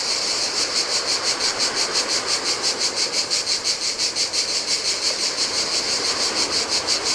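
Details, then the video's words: Cicadas singing in the heat on a desolate beach of a Greek island by the Adriatic sea: a dense high buzzing chorus pulsing about three times per second, steady and rhythmic, over a soft broad wash of waves. "Cicadas by the Sea - Ocean Waves & Cicada Sounds"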